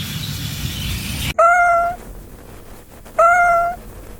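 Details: Cat giving two clear, tonal meows, each about half a second long with a steady, slightly falling pitch, about two seconds apart, after a burst of broadband noise at the start.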